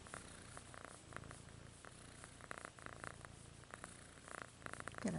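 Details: A kitten purring softly indoors: a low, steady rumbling throb, with faint clicks and a few rustling noises over it, and a brief higher squeak at the very end.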